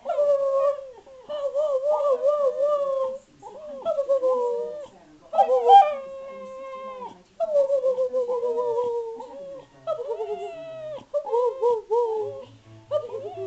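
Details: Louis the spaniel talks back to his owner in a run of wavering, moaning whines, each about a second or two long, repeated with short gaps, some dipping and rising like speech.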